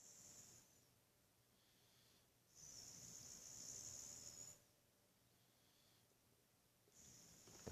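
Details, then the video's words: Buddy, a Boxer dog in a sound sleep, snoring: hissing, whistly breaths swell and fade in long cycles, with a loud drawn-out breath lasting about two seconds between quieter gaps. "Buddy the Boxer woken while snoring"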